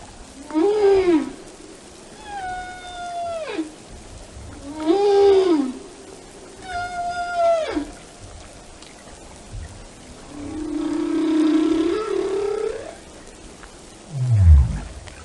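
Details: Series of whale song units alternating arched moans and level tones that slide steeply downward, about every one to two seconds, then a longer wavering moan and a brief low downward rumble at the close.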